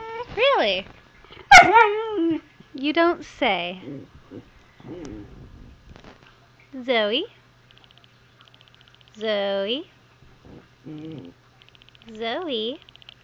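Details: Zoey, a pet Husky puppy, makes scattered short whines and rising yelps while talking to her owner indoors, with quieter gaps and faint human voice between calls.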